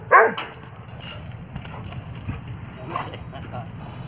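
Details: A German Shepherd, filmed around bath time, gives a single sharp, harmonic bark, followed by quieter background sounds.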